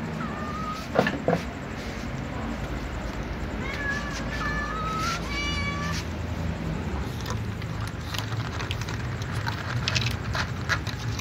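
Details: Calico cats eating together at night give a series of short, thin meows, some flat and some gently falling, clustered in the first half, over a steady low hum with scattered clicks and chewing noises.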